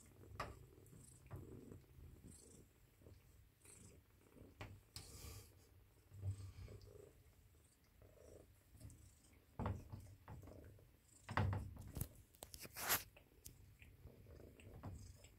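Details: Four-week-old Ragdoll kitten Avery Aslan purring as it seeks cuddles indoors; a low continuous purr under frequent rustling, bumps and handling noises, with brief louder clicks and scrapes.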